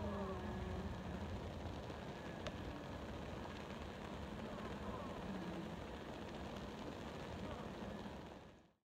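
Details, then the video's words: Australian stingless bees at work at a meliponary on the Gold Coast, Queensland, recorded 24 February 2019; a steady, dense low hum of many insects fills the whole recording without pause, with a faint brief click near the start. "Australian stingless bees at Work"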